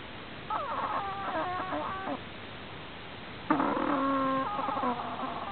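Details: Prairie dog making an unusual snoring sound: two bouts, each about one and a half seconds long, of nasal, harmonic tones that step up and down in pitch, over a steady background hiss.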